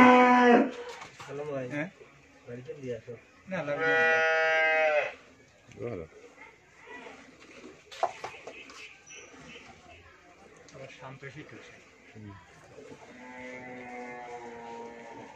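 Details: Friesian first-calf cow with her heifer calf at a Bangladeshi dairy farm in Bhangura, Pabna; three short, harmonic lowing calls come at the start, around four seconds and near the end, separated by human talk and farmyard clatter.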